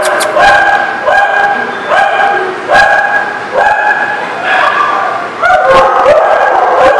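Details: Dog barking, recorded on 19 November 2018: loud, tonal, slightly yelping barks with a sharp rising onset, repeated about once every second in an uneven run, each bark bright and harmonic with a faint whine between them.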